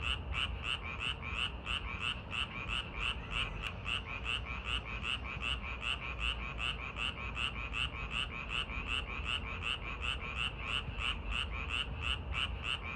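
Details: Frogs calling in a park at night as summer arrives, in a fast, steady chorus of rasping croaks.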